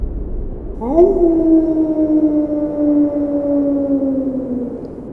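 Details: A single gray wolf howls on the supermoon night of March 19, 2011, with the recording sped up three times: a quick rise into a long, steady, mournful note that slowly sinks.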